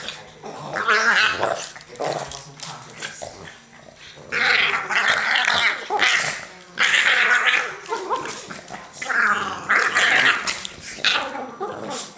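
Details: Two Boston Terriers growl and snarl in rough bursts while play fighting ("bitey face").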